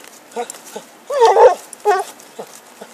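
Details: Happy, a pet dog playing with a stick in 2012, gives short harmonic yelps, a few soft ones followed by two louder, longer cries in the middle and a final quick yip, over a quiet background.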